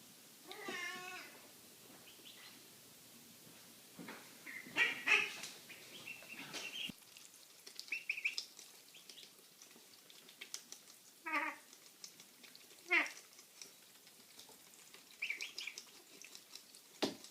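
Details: Domestic cat making odd noises: several short, varied meows and chirping calls, some with wavering harmonics, scattered across the recording with quiet gaps between them.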